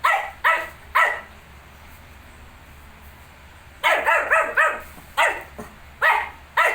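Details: Shih tzu with 19-day-old puppies: three barks, a silent stretch of nearly three seconds, then a quick run of ringing barks in pairs and singles, steady room hum.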